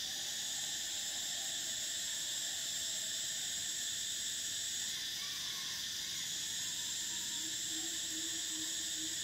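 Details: Summer cicadas keep up a dense, steady, shrill electric hum without breaks. Faint short whistled notes appear underneath in the second half.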